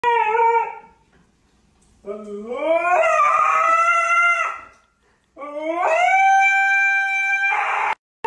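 A husky lets out loud, drawn-out screaming howls that rise sharply in pitch and then hold steady.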